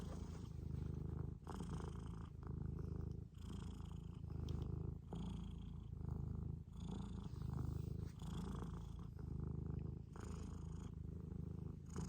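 A Scottish Fold cat gives a long, low purr, a continuous rumbling vibration. It pulses in a slow rhythm, rising and falling roughly every one and a half to two seconds as the cat breathes in and out.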